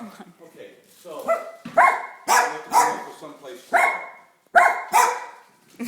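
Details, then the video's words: Dachshund barking rapidly in a burst of about six harsh, harmonic barks, some closely paired, with human speech mixed in at the start. "Irritating Doxie barking"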